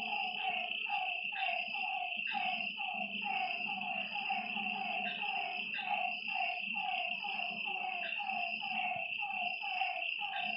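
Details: Night-time lakeside frog chorus of quick falling notes repeated in an unbroken run, layered over constant high-pitched insect trilling and a low murmur.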